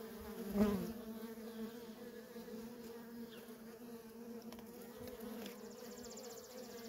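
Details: Worker honey bees streaming in and out of a feral colony, a steady low drone with a strong hum and its overtone, one louder bee buzzing past the microphone early on.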